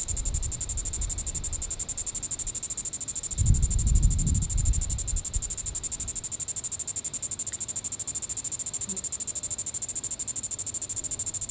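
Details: A Diceroprocta vitripennis cicada calling in the evening at Sand Hills State Park, Reno County, Kansas, on July 20, 2014. It gives a steady, very high, rapidly pulsed buzz, with a brief low rumble of background noise midway.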